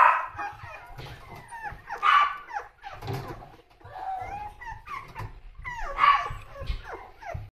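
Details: Energetic toy poodle letting out short whining yelps and rising whimpers, irregular and broken by pauses, with a louder yelp near the start and near the end.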